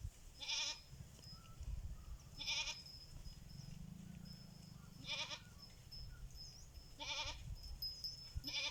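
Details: Goats answering a person who calls them, giving bright, quavering bleats about every two seconds over a soft low hum.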